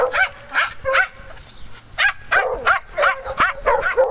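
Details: Playful farm dogs barking in rapid, irregular bursts of short, sharp yaps, some with a rising whine, nearly three per second amid faint background hum.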